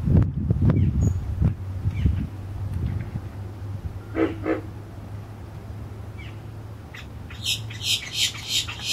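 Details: Female American alligators, three or more, grunting at Lake Tarpon near Tarpon Springs, Florida, recorded from a short pier over the lake: deep rumbling grunts cluster in the first two seconds, then fade into a low drone while birds chirp and squawk overhead.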